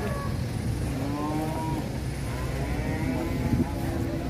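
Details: Large cattle loaded onto a heavy tronton truck after a Purwokerto buyer purchased 25 head; two low, slightly wavering moos, the second longer, over a droning engine and scattered voices.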